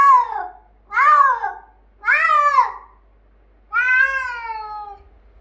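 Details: Refused play by his cat sister Leyla, Bengal tomcat Finley meows loudly in frustration: three quick rising-falling meows followed by a longer, drawn-out wail.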